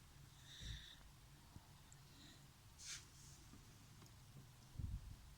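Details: Dachshund snoring: soft, breathy snorts over a low rumble, recurring about every two seconds, with quiet hiss between breaths.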